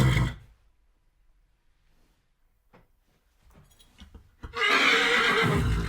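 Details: Horse whinny used as desensitization sound for dogs: a loud, harmonic neigh bursts in near the end after a brief low snort at the start and a quiet gap with faint rustles.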